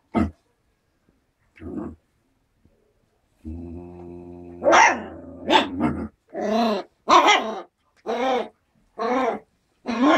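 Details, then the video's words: Four-week-old Alaskan Malamute and Siberian Husky cross puppies (3/4 malamute) play fighting: a low rumbling growl, then a run of short, harsh, yappy barks roughly every second, with quiet gaps between. "alaskan malamute/husky pups play fighting"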